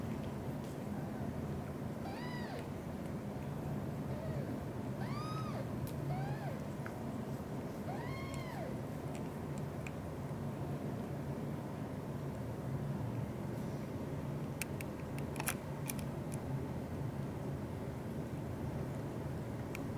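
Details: Blue golden British shorthair mother Xaxa tends three kittens, her own Piano plus Miracle and Cream: about six short, bowed meows of varying pitch in the first nine seconds, then quiet hum with a few sharp clicks.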